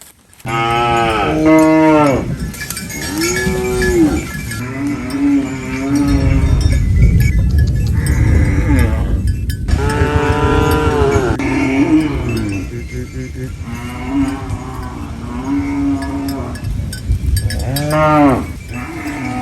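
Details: Cow (Bos taurus), moo.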